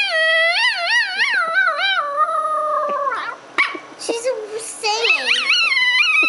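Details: A pet pup howls along with a young girl indoors in a playful duet: wavering, warbling howls that rise and fall, then break into yips and squeaks, with adult speech in the room.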